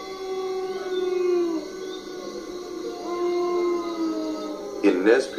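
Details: Several wolves howling together: long, smooth, drawn-out tones slide slowly up and down and overlap one another, then a short harsh yelp breaks in at the end.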